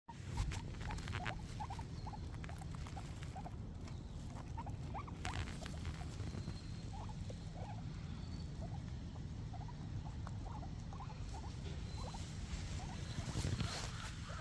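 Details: Two happy guinea pigs munching grass in their morning routine, a steady crunchy patter of quick chewing sounds.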